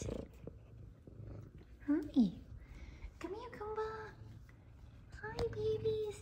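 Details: Indoor homecoming greeting from F2 Savannah cats Kumba and Zara after their owner returns from work: a short sharp meow, then two longer level meows, all over a faint purr, with a woman's voice greeting them.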